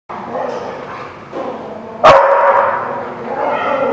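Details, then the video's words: Dog giving one loud, sharp bark partway through, its sudden burst followed by a brief harmonic tail, set against murmuring voices and low background noise. "The Barking Lot"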